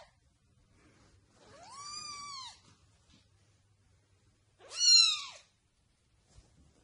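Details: House cat giving two clear meows in a quiet room, a longer arched call near two seconds followed by a shorter, louder one rising and falling, with soft low hum between.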